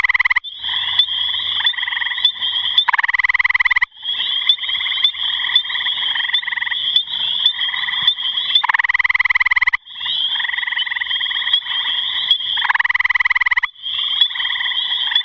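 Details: Gray tree frog calling: a loud, steady pulsed trill with stacked harmonics, each trill running several seconds and separated by short breaks, with an overlapping second trill near the end.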